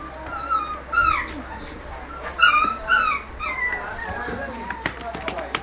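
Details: Male Japanese Spitz dogs, three of them, giving high, thin whimpering whines that slide up and down in short separate bursts, with soft voices and faint clicks in the background.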